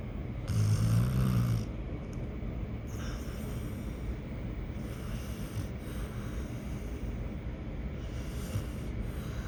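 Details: Dog asleep, snoring: one deep, rough snore near the start, then softer breathing and faint hissy bursts every few seconds.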